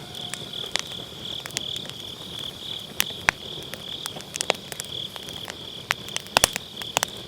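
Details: Grass insects keep up a constant high trill on an autumn night while a campfire in a round fire pit crackles loudly, with frequent sharp wood pops over the steady chirring; Sennheiser MKE600 recording with low cut.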